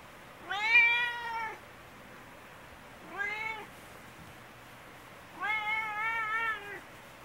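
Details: Talkative, affectionate domestic cat with tabby (kiji-tora) coat, meowing loudly while seeking attention indoors: three drawn-out harmonic meows, each about a second long, slightly rising then falling, spaced roughly two seconds apart.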